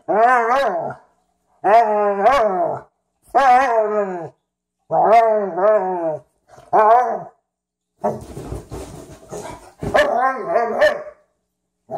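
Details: Frenchton and Rhodesian ridgeback at play during their first meeting, Ziah and Jacque. Harmonic growls come in short bursts about every one and a half seconds, some with a warbling pitch, and one burst is mixed with scuffling noise.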